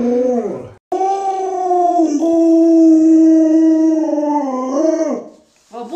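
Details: Luoluo, a pet Alaskan Malamute, holds a sustained howl lasting several seconds at a steady, even pitch, preceded by a short wavering note and a sharp click, rising slightly before dropping away, with a brief new note at the end.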